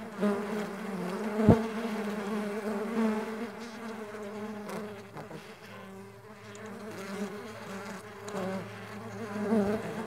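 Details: Low, harmonic humming from Mandaçaia stingless bees flying together, a constant wing drone with a sharp click early on and soft surges every second or two as bees pass close.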